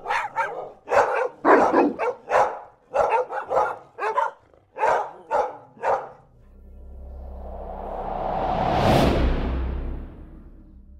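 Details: Various breeds of dog in a large pack, recorded close up, give about a dozen sharp separate barks over six seconds, then the barking stops and a swelling whoosh rises to a loud peak and fades.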